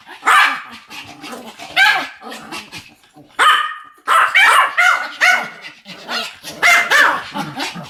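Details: A pair of Pomeranians yapping in duet, loud high-pitched barks in uneven bursts, some closely doubled, with a brief lull near the middle.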